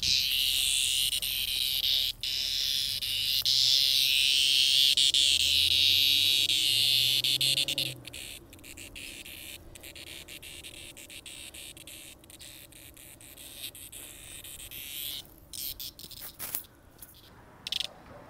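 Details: A cicada found on a sidewalk in 2020 buzzes loudly and shrilly for about eight seconds, then drops to softer rattling and clicking pulses, while a low rising hum passes in the background midway.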